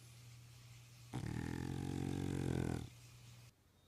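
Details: An English Bulldog snoring away around the house gives one long, rumbling snore, low and rattling, over a steady background hum.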